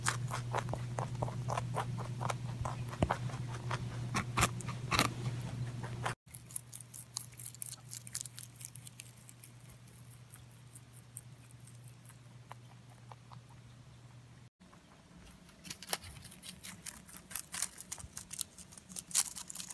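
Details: Domestic rabbit eating, a rapid series of crisp chewing clicks in three edited sections, louder at the start and end and quieter in the middle, with a low hum.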